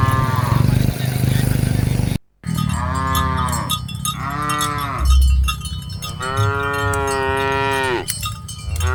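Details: Herded cattle from a group of dozens give a series of drawn-out, strongly harmonic moos, the longest near the end. Cowbells clank and a low rumble runs underneath.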